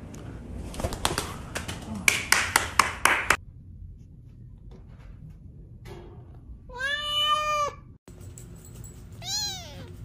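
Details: Domestic cat in a funny pet compilation, indoors: rattling clicks and taps first, then after a quiet gap a long harmonic meow, followed by a second shorter meow that rises and then falls.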